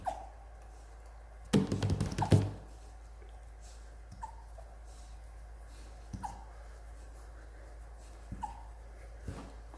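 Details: Rottweiler puppy hiccuping indoors: short, faint, falling squeaks repeat about every two seconds, with a burst of thumping and handling noise early on.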